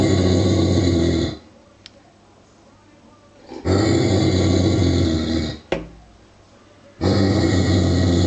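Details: Giant Schnauzer, a large 49 kg male, uneasy at a child's wooden toy sheep with real sheep skin, repeats deep throaty growls lasting roughly two seconds, broken by brief quiet gaps and small clicks.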